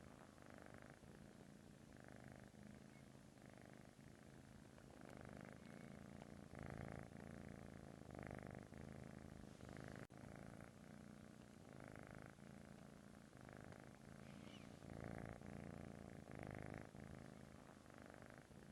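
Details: British Shorthair kitten purring while dozing, a snore-like purr. The low rumbling comes in rhythmic surges that swell and ease with each breath, roughly every second, continuous throughout.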